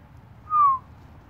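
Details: Guinea pig, one of two cavies named Quick Ben and Pending, outside and getting startled; a single clear whistled note about a quarter second long, gently falling in pitch, with faint low background rumble.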